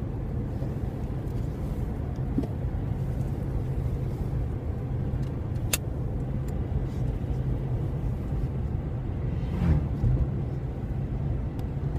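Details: Constant engine-like rumble and road noise with a sharp click near the middle and no animal voice.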